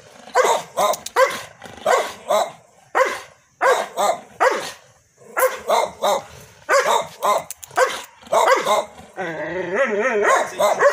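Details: Double-coated Belgian Malinois barking: sharp, loud barks in quick bursts of two or three, about a dozen in nine seconds. It finishes with a drawn-out, wavering whine.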